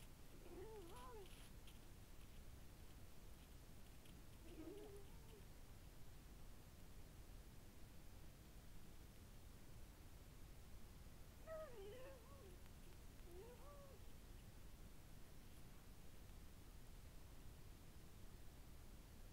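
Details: Lynx calling in several bursts, each a short arched, wavering cry with harmonics, meow-like, separated by long pauses over a steady low rumble of background noise.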